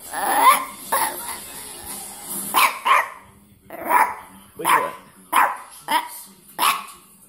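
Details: A little dog croaks hoarsely as if trying to speak, giving about eight rough, strained bursts spaced roughly every half second to a second, with a person talking to it nearby indoors.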